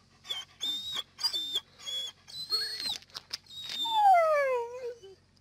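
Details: Dog. A dog gives a run of short, tonal whines and yelps, then a drawn-out howl that slides downward in pitch. The singing is a plea to be let inside, and a person's voice can be heard nearby.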